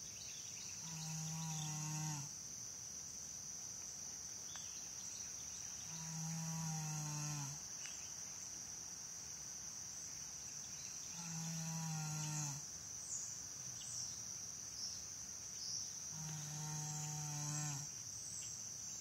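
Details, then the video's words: American Saddlebred mare Janie asleep, snoring in slow, even breaths: four humming, droning snores of about a second and a half each, spaced roughly five seconds apart, with crickets shrilling constantly behind. "Janie saddlebred snoring"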